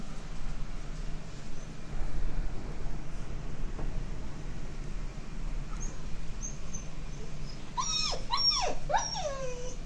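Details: Frightened by thunder in a brief summer rainstorm, the Malamute Lucy lets out a sudden cluster of sliding, pitch-bending whines near the end, after a long stretch of low rumbling rain noise.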